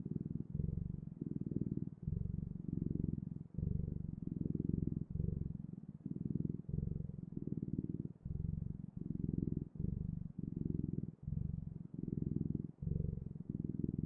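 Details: A cat's continuous low purr, a buzzing rumble broken into about twenty regular breathing cycles with tiny pauses between them, close and undisturbed by other noise.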